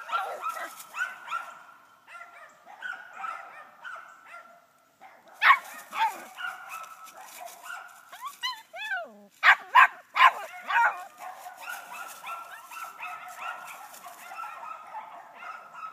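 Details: An 11-week-old female puppy barks while treeing a hung-up dead squirrel, the second dead squirrel she has seen. Steady, rapid high yelps run throughout, with a cluster of sharper, louder barks near the middle.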